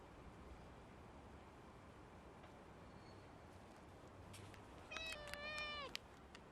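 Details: Stray tortoiseshell cat voicing pleasure while being patted on the lower back; a single clear meow lasting about a second, with strong harmonics, held level and then dropping at the end, over a quiet background hiss.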